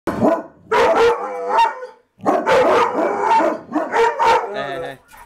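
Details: A mastiff and a husky indoors, upset and guarding the house after a stray dog ran past the front door, give loud, deep, rough barks in rapid bursts with short pauses. Barking continues almost nonstop, with a person's voice mixed in.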